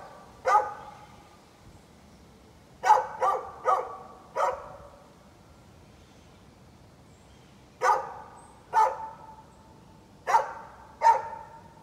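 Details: A neighbour's dog, recorded 13 November 2020, barking repeatedly: sharp single barks and short clusters every second or two, with brief gaps between groups.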